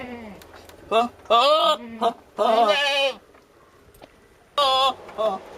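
A billy goat gives loud, wavering, nasal bleats in short bursts while courting a female.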